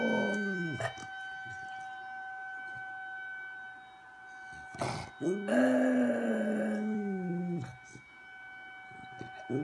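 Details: A dog named Whitney responds to a tornado siren with long arched howls, rising then sliding down, over the siren's continuous steady pitch and a few knocks.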